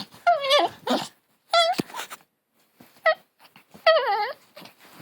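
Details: Long-haired Chihuahua puppy, said to sound like a hunting dog, gives four short, high, wavering vocal bursts, part whine and part growl, with brief pauses between them and nothing else audible.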